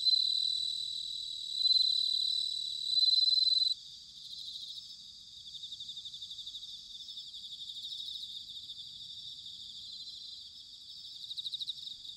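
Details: Autumn bell cricket song recorded in Sanuki, Chiba, Japan: a loud, clear bell-like ringing dominates the first four seconds, then a chorus of softer high trilling insects continues with pulsing swells, a brief louder burst near the end.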